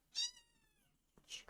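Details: Young female kitten meowing indoors in a room, a single short harmonic mew rising then falling, followed by a brief bit of a woman's speech.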